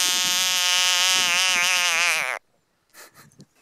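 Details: African bullfrog filmed near Ghanzi in Botswana, giving a loud, sustained, buzzy wail rich in harmonics for over two seconds that cuts off abruptly, followed by faint rustling and handling noises.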